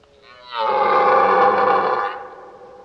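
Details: Red deer stag in rut during the mating season, bugling: one long, strained, harmonic roar that rises in pitch, holds steady for about a second and a half, then fades.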